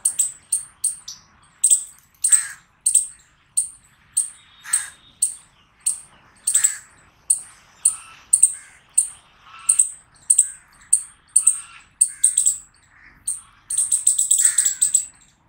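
A chipmunk gives sharp, high-pitched chips, repeated steadily about twice a second.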